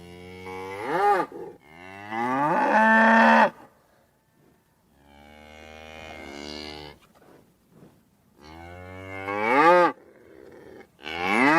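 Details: A run of cow moos: a short low call, a longer loud bellow, a quieter drawn-out lowing, then further strong bellows. Each call rises in pitch before dropping away. Brief silences fall between them.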